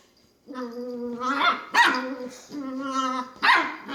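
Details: A female long-haired Dachshund puppy, playing by herself in her bed, makes drawn-out whining grumbles that break into short yelps and barks.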